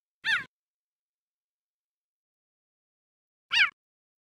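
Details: Two abrupt, high, harmonic chirps from a male cheetah, each brief and bird-like, separated by about three seconds of silence.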